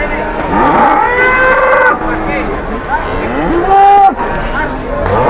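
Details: Large cattle at a busy Indonesian cattle market giving overlapping moos that rise and fall in pitch, one long level low ending near the close, with crowd chatter and vehicle noise behind.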